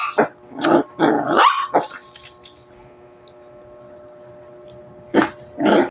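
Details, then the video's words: Pet Shih Tzu barking in short bursts: a cluster of sharp, yappy barks with a slight growly edge, then a quiet pause with a faint steady hum, and two more loud barks at the end. "my.first baby,shitzu"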